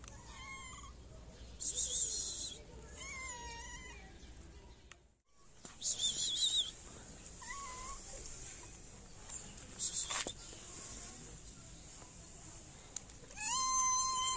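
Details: Stray cats in a Moroccan city meow repeatedly, hungry and wanting food and attention from the person who feeds them. Four or five wavering, harmonic meows are spread across the stretch, with bursts of hissy noise in between.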